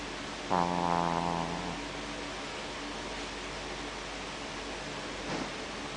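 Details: Shih Tzu named Smoochie snoring; one loud nasal snore with a whistling, tonal edge lasting about a second, then quiet room hum and a fainter breath near the end.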